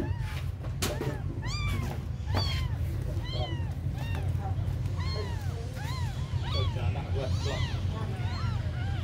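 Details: Abandoned kittens, very small, mewing in a steady run of high, arched cries, each rising then falling, calls coming about every half second and growing more crowded and overlapping toward the end, over a constant low rumble.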